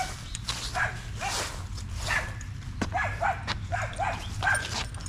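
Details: Staffordshire Bull Terrier out with other male dogs during a long evening at a park, trading short arched yips a second or so apart amid steady low rumbling background noise.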